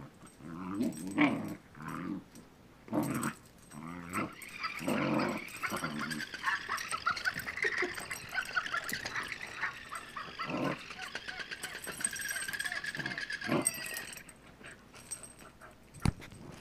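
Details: A dog named Jake playing with a new battery-operated toy that he now likes; bursts of growling and whining, with a high whirring toy noise running through the middle.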